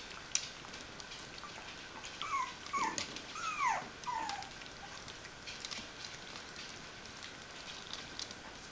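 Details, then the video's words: Bichon Frisé puppies aged four weeks and five days, from the I litter at a Danish kennel, give a few short high whimpers and squeaks with falling and rising tones in the middle of the clip over light clicking and pattering. "Bichon Frisé hvalpe 4 uger og 5 dage. I-kuld"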